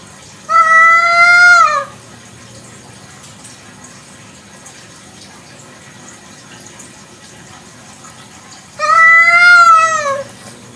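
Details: Kampung cat calling at night: two separate drawn-out meows, each just over a second, the first near the start and the second about eight seconds later, both falling at the end, with a soft hiss between them.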